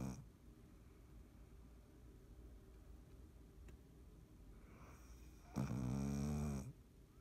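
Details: Dottie the cat snoring in her sleep, 3.17.19: quiet soft breathing for several seconds, a faint rising exhale, then one loud, harmonic, grating inhalation lasting about a second, in a small quiet room.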